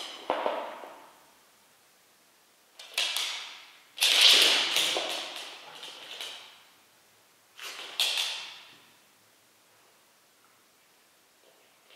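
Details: Scattered thumps, taps and short noisy bursts, like things being knocked or moved indoors, with no animal voice heard.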